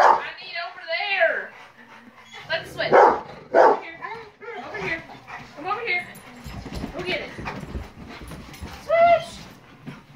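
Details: Four Rottweilers that dislike the fly swatter, reacting to it: sharp barks near three and four seconds mixed with whining, rising yelps, and people talking throughout.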